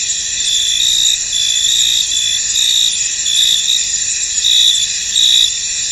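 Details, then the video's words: Crickets in a misty field: a dense, shrill, high-pitched chorus runs without a break, with a brighter trilling layer swelling in short bursts about once a second over the steady hiss. "Tranquil Cricket Sounds In An Misty Field"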